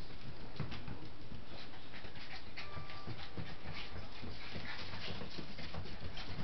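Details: Seven-week-old Scottish Terrier puppies at play indoors: busy panting and scuffling with soft taps, and one brief thin whine near the middle.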